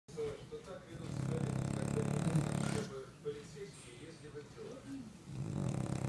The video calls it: Snoring french bulldog (храпящий французик)